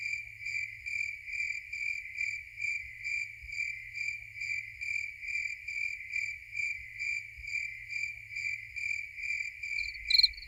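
A cricket gives a steady, high, ringing chirp, each short trilled burst repeating about twice a second. The rhythm stays even throughout, with a faint low rumble beneath and a brief sharper sound near the end.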